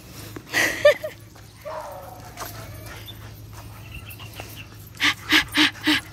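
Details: Kratos, a Belgian Malinois, runs on June 15, 2021. A high, tonal whine comes near the start, followed by softer sliding whimpers, then four quick, evenly spaced breathy bursts at the end.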